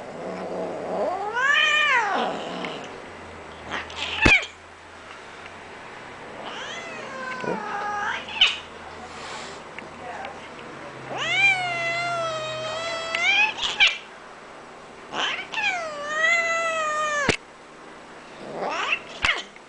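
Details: A cranky Bengal cat, the older brother of another cat, gives a series of loud, drawn-out, wavering meows with sharp clicks between them.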